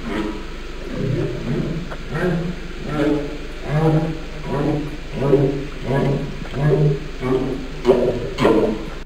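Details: Humpback whale. A humpback whale sings in a run of deep, resonant moans, each note swelling and bending in pitch. The units follow one another about every second, forming a slow, rhythmic phrase.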